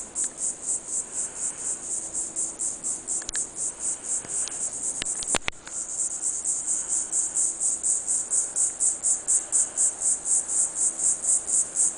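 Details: Cicadas, Diceroprocta viridifascia, singing in hot sunshine in a Pine Island pine grove, southwest Florida: rapid high pulsing buzz, briefly dipping near the middle amid sharp clicks, then resuming strong and regular.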